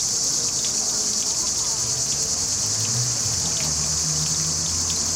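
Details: Singing cicadas fill the trees above a river and running fountain with a constant sizzling buzz, recorded on a Panasonic HC-X900. Water patters and a low hum sit beneath the steady insect drone.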